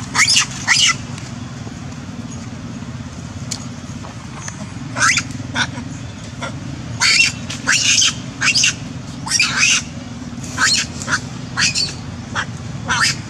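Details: Young female monkey, chased and bitten, crying out to call the whole group for help: harsh, noisy screeching shrieks in short bursts, clustered in quick runs of two to four through the second half, over a steady low rumble.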